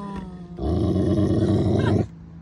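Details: A Magyar Vizsla gives a deep, rough growl lasting over a second, a protective warning when a phone was raised to photograph him.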